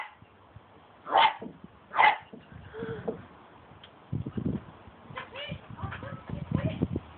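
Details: Cocker Spaniel playing with a broom handle, giving two sharp, loud barks about a second apart, followed by quieter scuffling, knocking and low rumbling noises with faint voices in the background.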